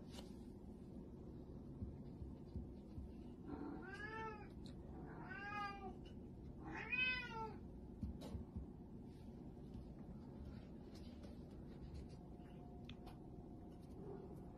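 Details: Little kittens meowing indoors: three short rising-falling mews in quick succession near the middle, then a quiet stretch with low background rumble.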